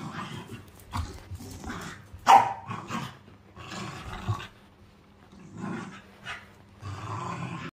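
A corgi gives low, rumbling growls broken by a sharp bark-like burst.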